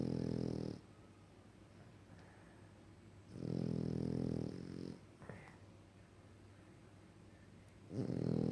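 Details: French Bulldog asleep indoors, producing rattling, low-pitched snores at regular intervals: one at the start, a long one around three to five seconds, a short snort, then another beginning at the close; faint hiss between breaths.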